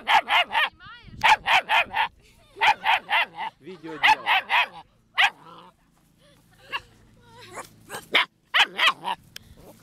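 A German Shepherd puppy gives bursts of sharp, high, yappy barks in quick runs of three or four.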